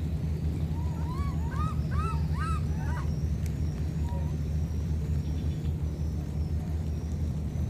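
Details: Two baby monkeys separated by flooding call to each other with a fast series of about five arched, rising cries in the first three seconds, then one faint note, against a steady low-pitched roar.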